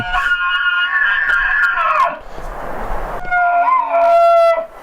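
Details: A Rocky Mountain elk bull bugles its mating call, a high, whistling scream that slides and wavers, to attract females.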